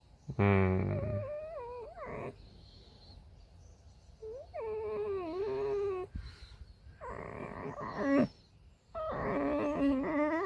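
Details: Tame female red fox kept as a pet, vocalizing indoors: a series of wavering, tonal whines that dip and rise, broken by short harsh screechy bursts, with quiet gaps between calls.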